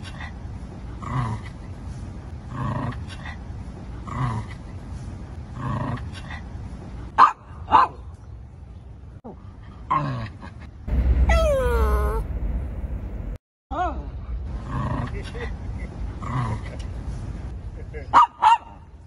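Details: Shih Tzu barking in New York: a run of regular soft barks about every second and a half, a burst of high whining yelps near the middle, then more steady barking with low background rumble.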